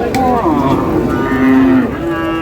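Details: A cow at the Ambari cattle market in Bangladesh gives a long, low, drawn-out moo that wavers and then holds steady, over a constant murmur of the crowded market.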